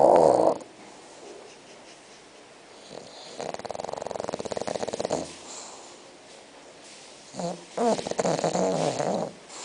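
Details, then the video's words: Six-month-old bulldog Spock snores in his sleep, giving drawn-out rasping snores with rapid fluttering pulses, a sharper sound at the very start and a second snore toward the end. "Bulldog Roncando"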